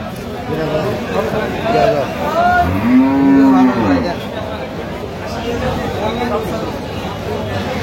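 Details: Sahiwal cattle with calves for sale at Aftabganj market, Dinajpur, Bangladesh, 14 October 2025; one loud, sustained moo swelling for about a second, preceded by brief higher calls, with chatter and crowd hubbub throughout.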